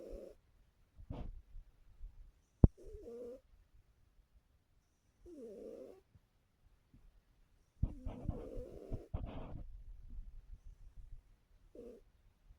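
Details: A sleeping female orange cat snoring as a habit: short, rough, low nasal snores come irregularly, with a sharp click near the start and a louder burst of rustling and breath noise in the second half.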